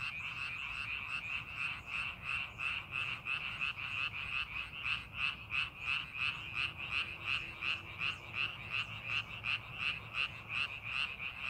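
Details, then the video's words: Chorus of frogs in a rice paddy readied for farming: quick pulsed croaks repeating nearly three times a second in a fairly even rhythm, many callers overlapping, with a faint low hum in the background. "농사준비하는 논에서 개구리 울음소리"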